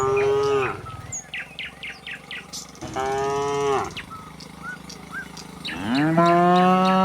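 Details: Tame cattle moving in a line out of the barn onto green pasture; three strong moos, the last one rising in pitch and held, over soft bird calls.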